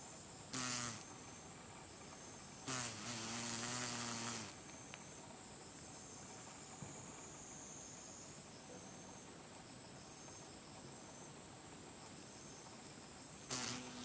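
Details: Green drone beetle (Rhomborhina unicolor), flightless from a deformed left hindwing, trying in vain to take off, late August 2012 in Japan: short loud buzzing wingbeat bursts, one lasting nearly two seconds, separated by quiet steady hiss.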